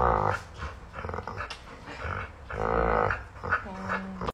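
A Rottweiler makes low, rumbling grumbles with short moaning, voiced rises in between.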